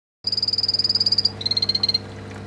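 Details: Poison dart frogs kept as pets sing: a rapid, high-pitched buzzing trill of evenly spaced pulses.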